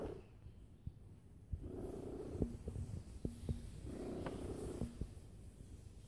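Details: A cat at rest, lying and purring loudly: deep rumbling purr rising in broad waves near 2 and 4.5 seconds, rapid pulsing texture underneath, scattered faint clicks in a quiet room.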